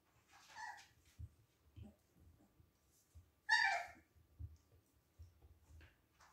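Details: Siberian Husky puppies at play indoors give two short, high, harmonic yelps, one early and a louder one midway, separated by quiet stretches with soft thuds and shuffling.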